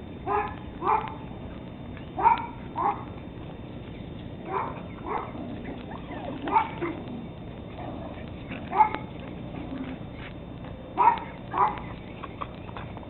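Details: Thirteen-week-old Teddy Roosevelt Terrier pups recorded on 17 October 2007, giving short, high yapping barks at irregular intervals, roughly six bursts across the stretch, over a low steady background hum.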